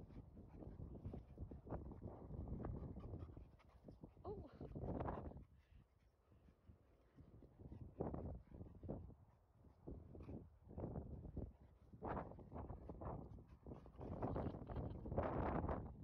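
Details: Golden Retriever Retsu, one year old and 42 kg, excited at a dog run and seeking petting from people, panting in quick breathy bursts that come in clusters with short pauses, while human voices talk nearby.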